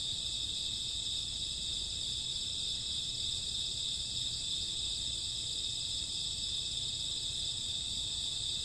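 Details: Midnight cricket and grass insect chorus of a summer or autumn night, several piercing high trills blending into an unbroken, uniform wall of chirping with a faint low rumble.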